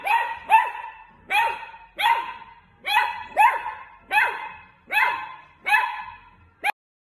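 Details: Sausage dog puppy in playful mood gives nine loud, clipped barks at uneven intervals, some closer together, ending in one short final yap.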